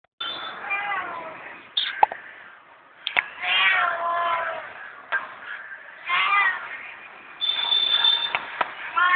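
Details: Domestic cat, hungry and asking for food, giving a series of harmonic meows with rising and falling pitch, several close together, mixed with sharp clicks and knocks.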